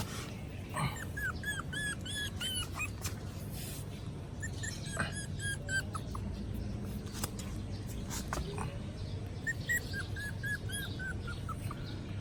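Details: A cute puppy makes sounds because it is hungry: scattered clusters of thin, high, bending squeaky whines, separated by pauses with rustling, over a constant low droning background.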